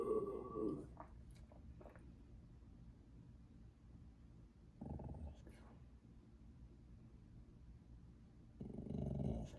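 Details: Boxer dog making short, rough, low growl-howl bursts, three of them spaced several seconds apart over a quiet, hissy indoor background.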